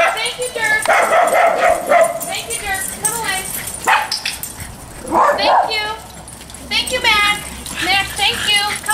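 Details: Several dogs at a group daycare giving nuisance, alert and demand barks: rapid overlapping yips and barks in bursts, mixed with a person talking to the dogs, brief music and applause.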